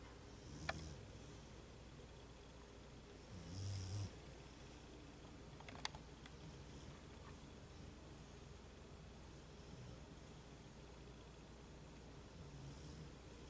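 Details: A female Beagle asleep and snoring: soft, low rumbling snores at irregular intervals a few seconds apart, with one louder drawn-out snort near the middle, over a steady low hum.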